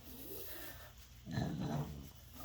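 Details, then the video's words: French Bulldog rolled over for scratches and belly rubs makes its happy noise: a faint rustle, then a low, throaty, buzzing grunt lasting about half a second. "The French Bulldog gets pets rolls over makes happy sound"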